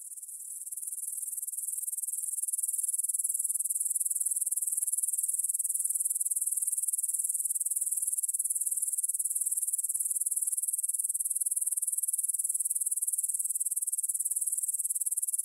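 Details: Grasshoppers stridulate in a field near Bryansk's Svensky monastery, Russia, at 9pm on 6 September 2020, captured with a Tascam DR-44WL; a steady shrill, finely pulsed hiss that swells over the first seconds, then holds constant.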